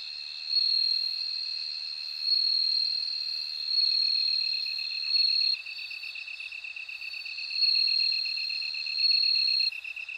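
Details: Repeated high, tinkling trills from a bell cricket, each about a second long with short gaps, over a constant rapid pulsing from another insect lower down.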